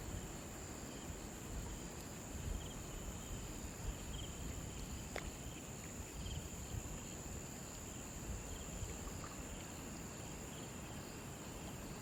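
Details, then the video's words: Crickets by a river give a flat, unwavering high trill throughout, with a few faint fainter chirps and one sharp click midway, over steady low rushing water. "crickets sound effect"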